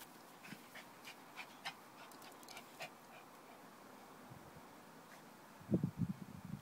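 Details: Lhasa Apso dog during rough-and-tumble play: a run of soft scratchy clicks and faint huffs, then near the end several short, low, rumbling growl bursts close together.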